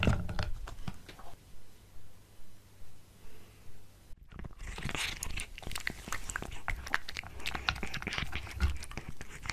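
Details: Pet cat eating a tuna mini stick indoors, close-miked: soft rhythmic chewing at first, then after a brief pause dense wet crunching and biting clicks in quick irregular succession.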